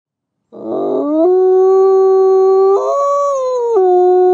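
A single wolf howls, a rough start settling into a long, steady, mournful tone.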